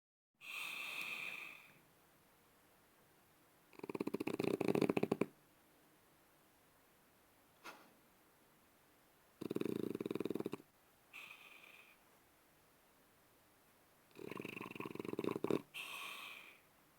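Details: Sleeping French Bulldog snoring indoors, loud rasping breaths coming in broad noisy bursts of one to one and a half seconds, roughly every five seconds, with quiet pauses between them.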